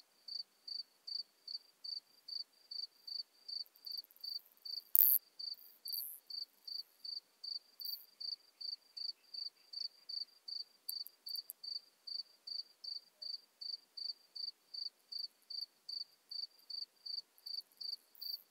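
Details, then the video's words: Modest Plump Bush-cricket (Isophya modesta) at Marz, Austria, 13 June 2020: a long, very regular train of short, high, pure-toned pulses about every 0.4 seconds, with one sharp click early on and otherwise quiet surroundings. "Isophya modesta -- Königs-Plumpschrecke -- Modest Plump Bush-cricket"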